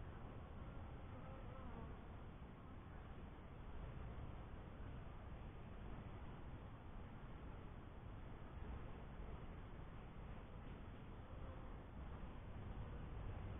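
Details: Honey bees at a first hive, giving a steady low, dense buzzing hum with no breaks, broad and droning, throughout.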